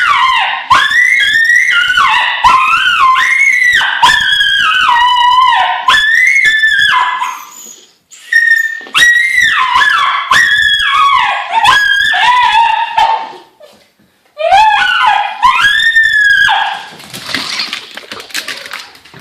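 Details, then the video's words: Mini Schnauzer Rudee Belle, excited by her long-lost electronic Zhu Zhu toy hamster, lets out a long run of shrill, yodelling screams. The pitch slides up and down in rapid bursts, broken by short pauses, with a rustling noise near the end. "Dog screams for toy hamster!!!"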